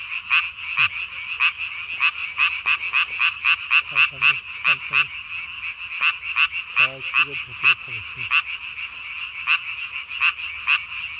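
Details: Night chorus, 3 May 2020: a Japanese tree frog with a body-sized vocal sac calls in a fast burst of sharp notes that slows into evenly spaced pulses, with a few brief low croaks from other frogs in the background.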